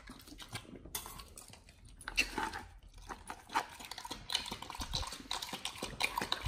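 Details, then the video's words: Dogs on a raw diet gnawing chicken breast and duck feet indoors; moist, clicking chews and sharp bite snaps repeat steadily, a short hush near the first second, then denser crunching toward the end. "Dogs eat RAW Chicken Breast+Duck Feet [ASMR]"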